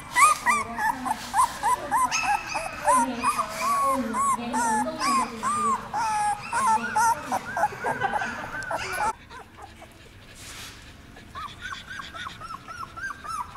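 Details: Puppies aged 17 days, first taken into a dog café, whine in quick bowed squeaks over a low hum and indoor chatter; the cries thin out and grow quieter after the first eight seconds.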